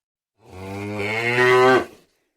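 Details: A single cow's moo, a steady low bellow that swells in strength and then stops abruptly, with no other sounds around it.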